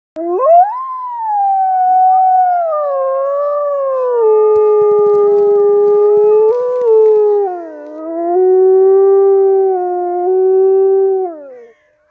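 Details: A lone gray wolf at a zoo park in Norway gives a long, smooth howl that swoops up, then slowly slides lower.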